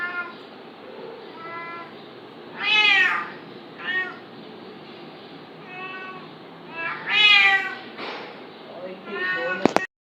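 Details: Two cats, an adult fighting a kitten, with short soft meows between two loud, rising-then-falling wailing meows about four seconds apart, ending in a sharp click; constant background hiss.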